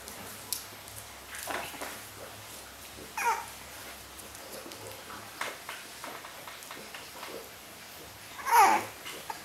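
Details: French Bulldog puppies, five weeks old, born in Riga, indoors: two short high whining squeals, the second louder and rising then falling near the end, among soft scuffling and light tapping sounds in a small room.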